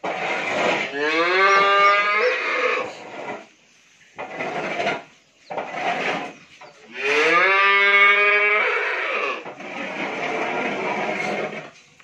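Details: Friesian cow, nine months pregnant and due for her second calving, on a dairy farm in Pabna, Bangladesh; two long, loud, rich harmonic moos, the first rising then holding, the second a few seconds later, with quieter rustling and voices between.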